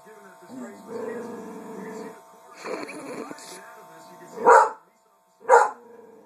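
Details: A female dog, reacting to her reflection in a mirror, gives two loud, separate barks about a second apart near the end, after a stretch of softer, murmuring vocal sounds and background hum.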